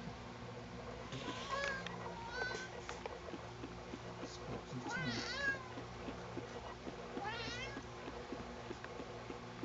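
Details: Sugar the cat is being combed and objects with a run of wavering, complaining meows, several short and two longer rising-falling cries, over soft speech and steady household hum.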